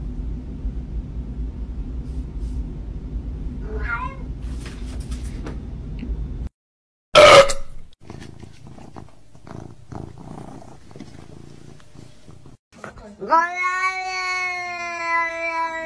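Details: Pet cat giving one long, drawn-out meow near the end, steady and slightly falling, after a stretch of quiet room noise and a sharp thump.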